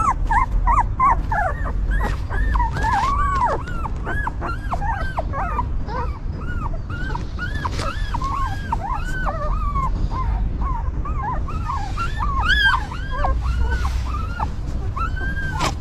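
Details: Newborn puppies of a stray mother dog, who cleans, feeds and comforts them, whimper constantly in overlapping, arching squeals that rise and fall, several pups calling at once over a low background rumble.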